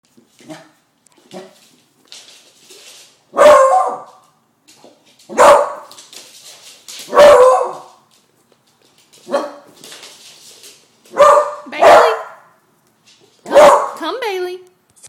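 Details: Bailey, a 10-month-old female pet beagle afraid of balloons, barks at them as she is teased: seven loud, sharp barks spaced irregularly over fifteen seconds, with quieter rustling and soft noises between them.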